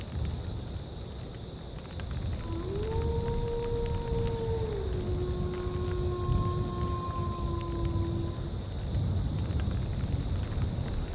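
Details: In a windy tundra soundscape, a gray wolf gives a long, smooth howl that starts, holds steady, then slides lower; a second higher tone seems to join over steady wind rumble and faint hiss.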